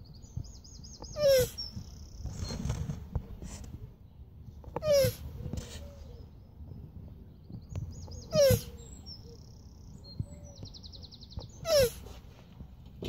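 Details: Male Hermann's tortoise Oscar mounting a shoe instead of a female; four short descending squeaks, each with a scraping burst, repeated roughly every three and a half seconds; small birds chirp and trill in the background.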